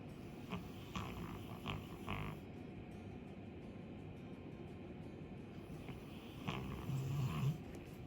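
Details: Sleeping two-year-old female Labrador Retriever named Chappy, a big snorer: low grumbling snore noise throughout with a few soft clicks, growing louder toward the end.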